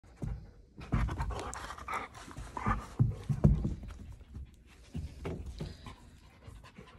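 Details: Female Doberman Pinscher indoors, breathing in quick, irregular, breathy panting puffs, more than two per second, with soft snuffling and mouth noises.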